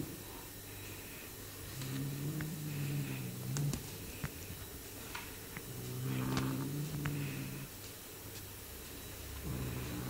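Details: Leo, a pet Bengal cat, growls while munching on his owner's hand indoors: low, rumbling harmonic growls in long bursts of one to two seconds, separated by quieter pauses, with faint handling noises.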